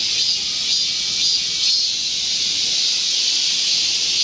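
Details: Midsummer forest chorus of Korean cicadas during a July 2024 heat wave: an unbroken, piercing high buzz with faint wavering swells, dense and even from start to end.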